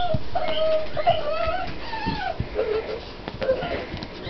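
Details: Puppies at six weeks old give thin, tonal whimpers. A long wavering whine opens, followed by shorter rising and falling squeaks every second or so over a soft, constant room hiss.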